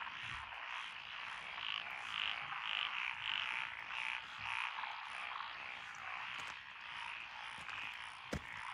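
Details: Night chorus of paddy frogs in Echizen, Fukui, Japan, 12 June 2021, several species together; a run of loud repeated croaks, nearly two per second, rises over the background chorus, ending with a sharp click.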